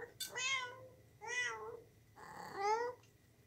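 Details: Kitten indoors meowing three times in under four seconds, each a clear, high, slightly wavering mew that rises then falls, with a faint steady hum in the room behind.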